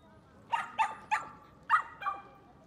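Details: Dog barking at a dog run in Yoyogi Park, Tokyo, Japan: five short, sharp barks, the first three evenly spaced about every third of a second, then a pause and two more; faint background murmur.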